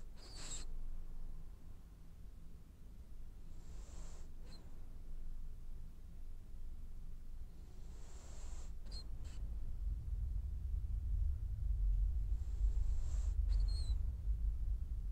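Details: French Bulldog snoring as it dreams, each slow breath drawn in with a breathy hiss and a short nasal whistle, about every four to five seconds, above a continuous deep rumble that swells toward the end.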